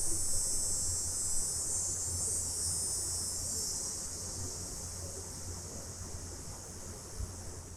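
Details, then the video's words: Summer cicadas at night give a steady, high-pitched hissing buzz that drones on without pause, over a low hum, recorded in stereo. "Cicadas At Night Sound Effect"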